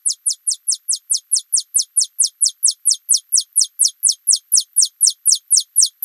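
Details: Alston's singing mouse (Scotinomys teguina) trilling like a bird: a long, rapid series of very high, steeply falling chirps, about two per second, steady and evenly spaced, with nothing else audible.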